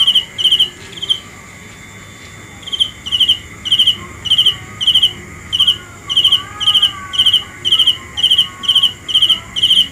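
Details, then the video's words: A cricket gives bright, high, trilled chirps roughly twice a second, falls silent for over a second early on, then resumes its steady rhythm to the end. "The best sounds of Cricket 《 Suab Kab Ciliv Quaj Zoo Heev》 ( ສຽງແມງຈີ່ນາຍຮ້ອງດີໆ )"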